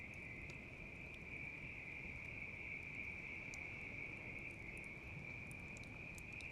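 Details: Bell cricket singing beside a crackling campfire: a steady, unbroken high ringing tone holds throughout, while sharp pops and snaps from the burning wood scatter over it and a low rumble of fire fills the background.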